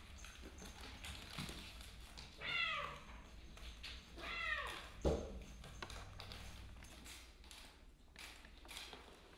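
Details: Kittens playing with straws give two clear harmonic meows, each arching up then falling, about two seconds apart, amid scattered tapping and rustling of play.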